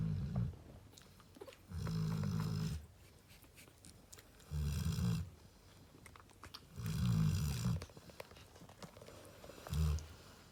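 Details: Female Cane Corso named Narla, lying with her babies, snoring in heavy low rumbles. Five snores of about a second each come at uneven intervals, separated by near silence.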